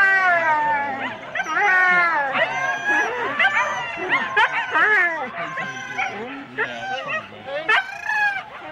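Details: Four-dog Husky teams waiting at a sled race start in Rendlesham, January 2016, keep up a crowded chorus of high wavering howls, yelps and barks from many dogs at once, people talking faintly underneath.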